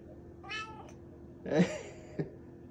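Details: Excited striped domestic cat giving a short harmonic meow, then a louder, rougher meow about a second later, with a brief click; a person speaks softly nearby indoors.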